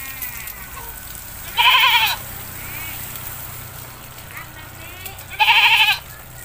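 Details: Bathing village goat giving two loud, shaky, nasal bleats roughly four seconds apart, with quiet background murmur between them.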